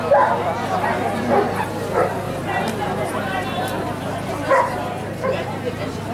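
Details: Giant Schnauzer, Blackmoore, barking in short repeated bursts with a steady low hum and human speech around it.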